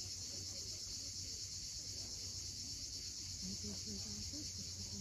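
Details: Cicadas at sunset on the steep coast of Cape Fiolent, Crimea: a steady, unbroken high-pitched buzzing drone fills the air, with faint low tonal murmurs underneath.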